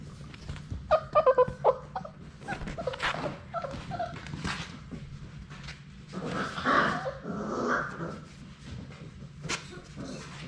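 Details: Labrador Retriever puppies, one of Sadie's litter of six, playing indoors in their puppy play room and attacking a GoPro camera; squeaky high yips and whines near the start, then rough growling, snuffling and scuffling close to the camera.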